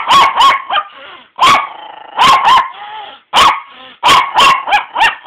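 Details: Pet dog Walter protests being woken up at noon and carried down to the couch: sharp barks in quick pairs and threes, each trailing into a tonal whining yowl, with brief pauses between.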